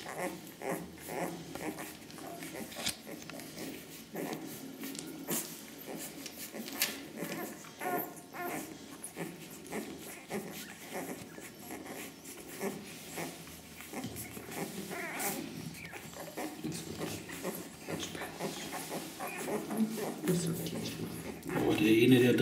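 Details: Ca de Bou puppies aged ten days, born to Ivi and Tito, make intermittent soft whines and brief squeaks over a long stretch of scuffling, handling noise and occasional voices, growing louder near the end.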